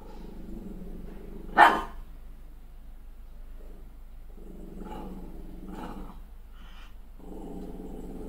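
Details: Female Malshi puppy, a crossbreed, furious at her own reflection in the mirror after a new haircut: low rumbling growls in three drawn-out bursts, broken near the start by one sharp, loud bark and a few short yaps.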